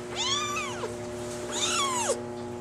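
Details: Two drawn-out meows from a female Maine Coon kitten with a brown mackerel tabby and white coat, born July 17. Each rises, then bends downward, with rich harmonics, about a second apart over a steady background hum.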